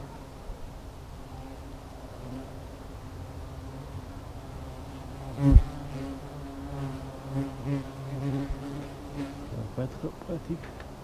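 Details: Hornets around their nest giving a continuous low humming buzz, with a loud thump midway and scattered handling knocks afterward.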